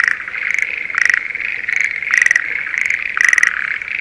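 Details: Breeding-season Schlegel's green tree frogs in spring rice paddies near Sendai, Japan, calling in a loud chorus of rapid, rattling trills, bursts roughly every half second to second, overlapping continuously with a steady background hum.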